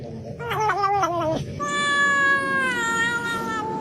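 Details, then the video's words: Domestic cat yowling: a wavering, quavering cry, then a long, steady, high-pitched wail held for about two seconds. "cats meowing"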